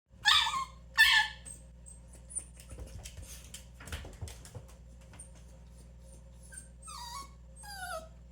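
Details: Quiet pet dog at home, reacting to other dogs' provocations or noises with a lonely-sounding cry: two bright whining yelps early on, then faint rustling and a few thin descending whimpers near the end.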